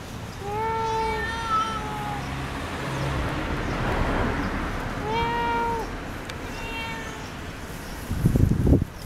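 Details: House cat in conversation with its owner: two clear, drawn-out tonal meows a few seconds apart, each slightly falling, over a soft background murmur, ending with a brief clatter.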